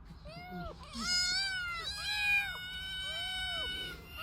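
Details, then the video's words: Cat meowing: several overlapping rising-and-falling mews, some short and chirpy, others drawn out and wavering, with a faint low hum underneath. "Meow cat is cute"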